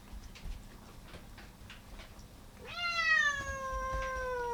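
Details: Domestic cat among fourteen cats eating indoors on the last day before a rescued calico leaves for adoption; soft chewing clicks and crunches, then one long, clear, harmonic-rich meow that rises briefly and slowly falls, held nearly two seconds.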